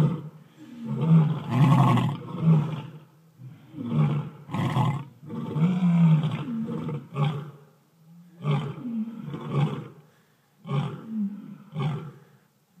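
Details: Several lions and lionesses give typical territorial roars in deep, throaty bursts, one voice after another, since when one lion roars they all join in.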